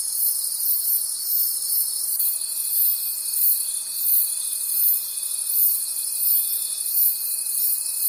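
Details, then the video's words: Night crickets in the forest form a continuous high, shimmering trill that pulses gently and evenly, joined after about two seconds by a lower, unwavering tone that holds to the end. "Cricket Conversations at Night"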